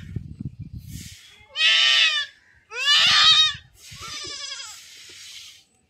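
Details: Domestic goat bleating while being castrated in a village: three loud, harsh, wavering bleats in quick succession, each about a second long, after a stretch of low rumbling handling noise.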